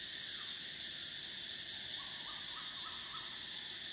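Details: Cicadas in Thailand, near the River Kwai, drone in a steady, high, hissing buzz that never lets up.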